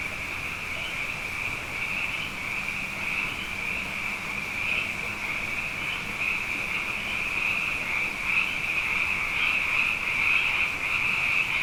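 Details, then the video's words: Abundant frogs calling at night after two wet years in a row, a dense chorus forming a steady high churring band with faint pulsing, growing slightly louder toward the end; no other clear sounds. "Frog Songs: Na Mele o nā Paloka"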